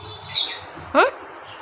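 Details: Nabhi the pet dog cries indoors, afraid of being alone: one brief tonal whine that bends upward then falls, after a thin high squeak, over a low background hum.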